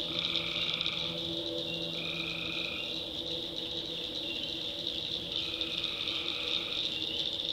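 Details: Tree frogs calling at night in a swamp in the backwoods of North Carolina: a dense, steady high chorus with a few drawn-out buzzy notes about a second long, each carrying a fainter lower tone, over faint low hum.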